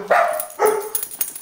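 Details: Puggle kept as a pet, barking at a pug pictured on a beach towel: two sharp, clipped barks in quick succession, followed by fainter rustling.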